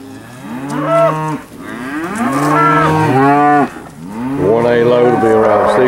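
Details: Cattle at a steer auction; repeated loud moos from several animals in three long bursts, harmonics-rich bellows overlapping each other, separated by brief pauses.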